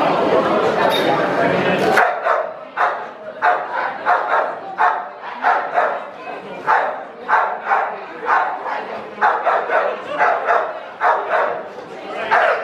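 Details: Bull Terrier at the West of England Bull Terrier Club Championship Show, March 2016, indoors: after two seconds of loud crowd chatter, a steady series of sharp barks follows, about one every half second, over a murmur of voices.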